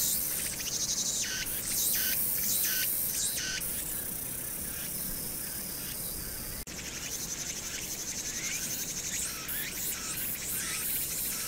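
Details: Cicadas singing in summer on Hwangnyeongsan, recorded 1 August 2019 against a city noise background: loud buzzy high-pitched pulses with upward-sweeping swells, repeated roughly every second, over a steady low urban rumble.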